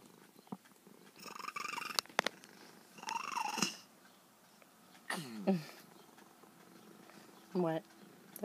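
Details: Once very wild, a female feral cat now tame with her caregiver gives short harmonic calls: a bright burst near the start, then two quick falling chirps later, with quiet room tone and a possible human voice between.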